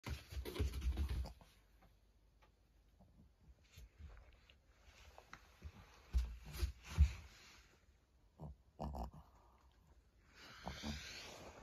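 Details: Maria, a fourteen-year-old fawn female senior pug in Japan, recorded on 20 May 2024, her birthday, gives low, pig-like snuffling grunts and snorts in short bursts, quiet breathing between them and a brief rustle near the end.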